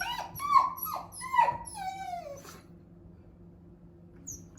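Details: Shiba Inu named Hachi indoors, crying while searching for her sister kept in a separate room; a series of high, tonal whines that bend downward, four or five in quick succession, the last drawn out and falling, then quiet.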